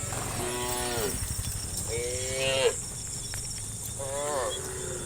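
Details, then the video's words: A herd of tame cows moving together toward watery grassland in the afternoon; three drawn-out moos about a second each, the middle one ending in a rising squeal, over a constant high background hum. "funny cow sounds"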